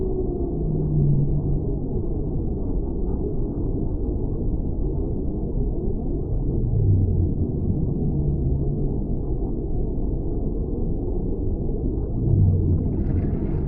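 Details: Whale song heard as low, drawn-out moaning tones recurring every few seconds over a steady deep rumble of water noise.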